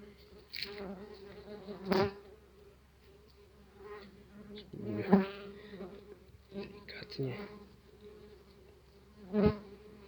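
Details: Aggressive tree bumblebees around their opened nest box in an apiary give a steady low hum, overtones stacked above it, swelling and fading as they fly close, with about four sharp thuds of insects striking.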